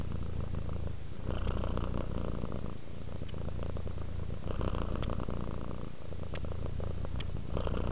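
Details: Relaxed pet cat purring in a continuous deep rumble, the pulsed drone swelling slightly on each inhale-exhale cycle, roughly every one and a half seconds, with quiet soft rustles now and then.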